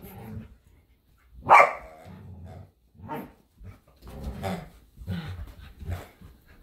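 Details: A Samoyed and a Keeshond compete for a squeaky hedgehog toy in a backyard. One loud, sharp bark rings out early, followed by several shorter, lower growling barks spaced about a second apart.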